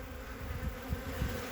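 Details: Short burst of honey bee colony hum from a winter inspection on 14 February 2021, at a three-frame colony with capped brood. A soft, even drone comes with a few low knocks from frame handling.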